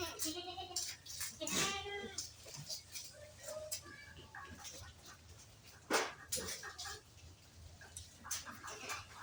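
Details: On a farm keeping advanced-breed goats, a goat gives a brief quavering bleat early on while human speech runs through most of the recording, with a few clicks and knocks.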